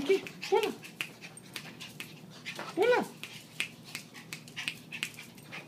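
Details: Two small dogs, a Maltese and a Yorkshire terrier, playing and full of energy when their owner gets home after a long overnight shift; two rising-falling whiny yelps near the start and the third second, with soft clicks and a person talking.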